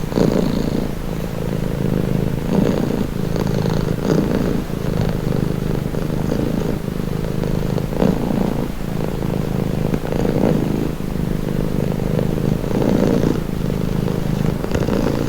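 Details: House cat purring for relaxation, a low vibrating drone with breath cycles every one to two seconds, slightly softer passages between, no background noise.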